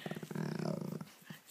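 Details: Morning grumble from Slider, a dog reluctant to get out of bed, making Chewbacca-like sounds: a low, rapidly pulsing throaty rumble lasting about a second, then a couple of faint huffs.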